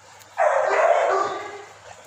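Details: Labrador Retriever kept at Raja Land Kennel in Ambala Cantt, Haryana, India; one drawn-out, harsh bark lasting about a second, fading at the end, with a steady low hum behind it.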